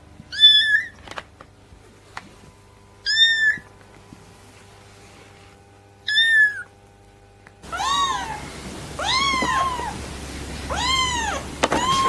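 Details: Newborn domestic kittens meowing: three short separate high mews, each a quick arch, spaced about three seconds apart, then a noisier stretch with four longer arched mews in steady succession.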